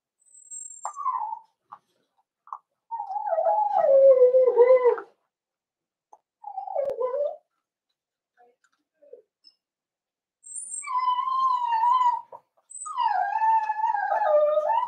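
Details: Cavalier King Charles Spaniel puppies being socialized with several grown dogs in their pen on 12/13/22. Repeated wavering whimpers build into longer, howl-like wails with rich overtones, broken by short pauses and a few high squeaks.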